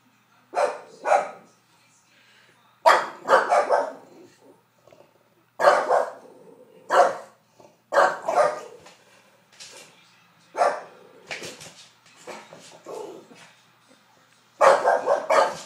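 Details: A female English Bulldog barks in short, rough bursts, upset by a hair dryer, and gets another dog in the house upset too.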